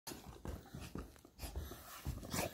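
A Basset Hound begs for food with low, grumbling whines and snuffly breaths. The sounds come in short bursts about every half second in a small, quiet room.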